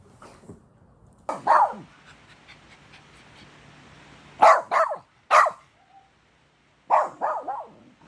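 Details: A pet dog barks in short bursts, some single and some in quick doublets and triplets, with quiet pauses between them in an indoor setting.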